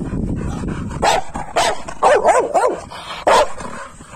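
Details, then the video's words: Pit bull named Shera during grip practice in Haryana, India: a few sharp barks and yelps with wavering harmonic tones, spaced about half a second to a second apart, after low rumbling breaths and handling noise, with men urging in Hindi. "Pitbull Grip practice"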